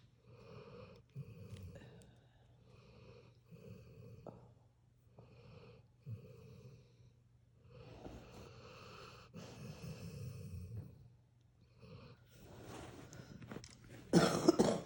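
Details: Sleeping puppy snoring indoors: soft, wheezy, nasal breaths repeating about once a second, some drawn-out and rasping, ending in a sudden louder snort.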